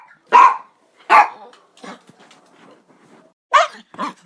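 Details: Loud, sharp dog barks, two at the start and two near the end, with softer grunting or growly sounds in between.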